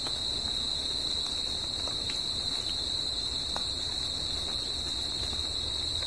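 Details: Crickets singing at night in nature: a steady, unbroken high-pitched ringing trill with a fainter higher overtone band, continuous throughout, with faint low rumbling background and occasional soft ticks.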